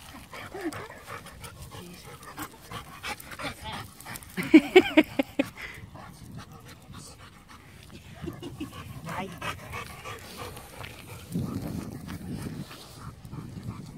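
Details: Pup Toby and the Labrador Laika at their first meeting, playing together: a quick run of sharp, high yelps midway, then steady panting and snuffling while people talk softly in Dutch, praising and calming the dogs.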